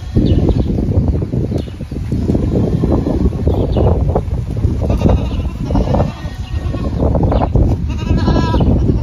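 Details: Herd of Kalahari Red goats, a breed from South Africa; a few clear harmonic bleats come through, one near the start and a stronger one at the end, over dense low rustling and trampling noise.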